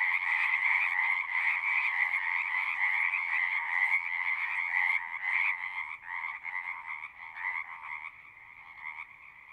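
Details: Frogs at a pasture pond, recorded with a Zoom 6, quieting as someone approaches: a loud trilling chorus breaks up after about five seconds into scattered pulses, then fades to a faint distant murmur.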